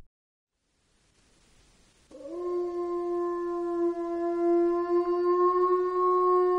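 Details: Gray wolf (Canis lupus), howl.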